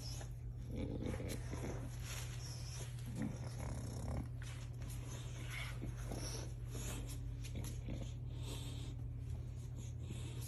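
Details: French Bulldog puppies, a female playing with her big brother in Miami Beach, grunt and snort in short, rough bursts over a steady low hum.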